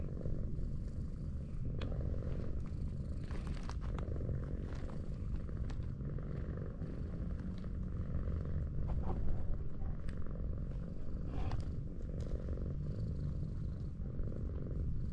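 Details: Tortoiseshell cat, affectionate and sprawled on a slope, purrs continuously under petting: a dense, low vibrating rumble with soft rustling touches scattered throughout and a quiet outdoor background.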